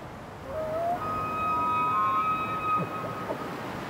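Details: A male elk bugles: a high, clear whistled note climbs, holds high and steady for over a second, then drops away, over a steady rush of wind in trees.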